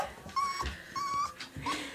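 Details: A male American Staffordshire Terrier puppy, recorded indoors in 2008, gives thin, high whining whimpers, steady and drawn out then dropping at the end, three in two seconds, with faint room noise.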